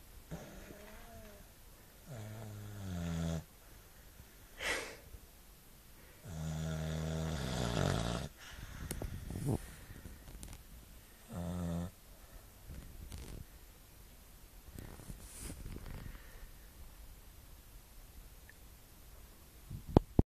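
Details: Staffordshire Bull Terrier asleep indoors, a run of low, rasping snores, some long and droning, some short and snorting, spaced a few seconds apart, then quiet breathing and a final bump.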